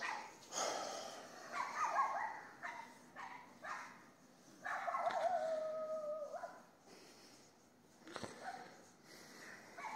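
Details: Neighbour's dog barking at night, 22:30 on 18 May 2021, across the street in Castelldefels, Spain: a few bursts of yelping, whining barks with drawn-out tonal cries, separated by quiet gaps.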